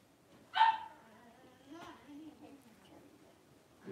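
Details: Blenheim Cavalier King Charles Spaniel puppies at three weeks old, five littermates wrestling and playing in their pen; a single sharp high yip bursts out, then quieter grumbling squeaks and low murmurs follow.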